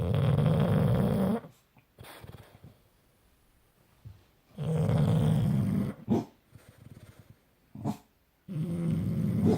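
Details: Bus and Kat, two pet dogs, snore in their sleep: loud, rough low-pitched breaths in long drawn-out bursts, broken by quiet pauses and a few short sharp snorts.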